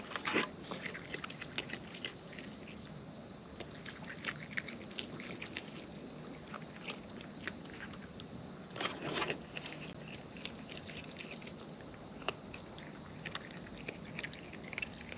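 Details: Wild raccoons eating close up, with a steady run of crisp, scattered chewing clicks and crunches over a soft outdoor hiss; denser bursts of crunching come near the start and around the middle.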